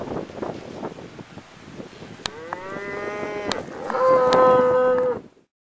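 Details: Herd cattle heard close up from the back of a pickup truck among cows and calves; after some background rustling, one long rich moo swells and grows louder for about three seconds, then stops abruptly.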